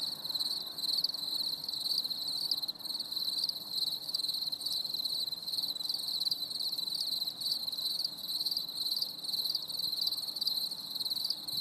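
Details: Crickets chirring through a stormy summer evening, a continuous high, slightly pulsing trill from several insects at once, faint low background noise beneath.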